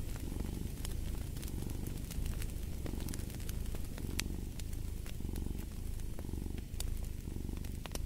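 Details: A cat purrs in rhythmic cycles, the rumble swelling and easing roughly every second as it breathes in and out, accompanied by popping fireplace crackle.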